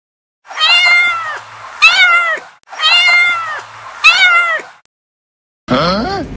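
A kitten gives high, harmonic meows in two rising-and-falling bursts, repeated, ending with a shorter wavering cry.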